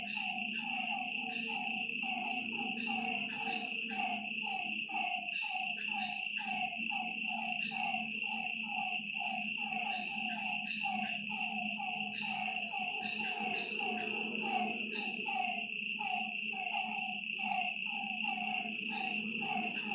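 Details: Frogs calling at night beside a lake, a dense run of short, mid-pitched croaking notes repeating rapidly and overlapping throughout, over a steady high insect drone and a low continuous hum.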